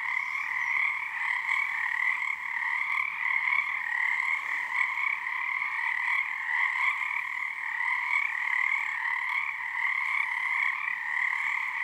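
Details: Frogs at Frog Korner, Harstine Island, Washington, singing as a choir under a snow moon, tones synced and teetering between two resonances; constant shimmering two-pitched trill, evenly loud, without breaks.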